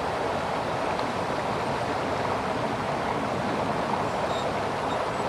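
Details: Constant rushing of the American River in Sacramento, California, an even broadband roar of flowing water with no animal sound heard.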